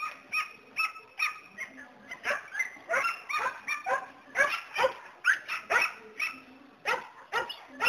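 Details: Border Collie shepherd dog barking continuously at a fast, uneven pace, about two barks a second, with faint steady tones underneath.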